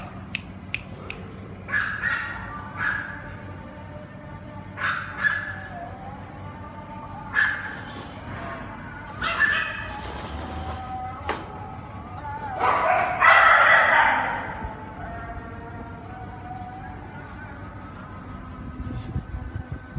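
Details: Cane Corso puppies from one litter with differing characters, giving a series of short high whines and yips every few seconds, with one longer louder whining cry near the middle and soft background noise.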